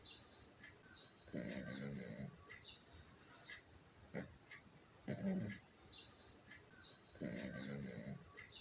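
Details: Pomchi dog sleeping soundly with eyes half open, snoring in low, rough, breathy rasps about a second long, three snores spaced roughly two to three seconds apart, with faint high ticks and chirps in the background.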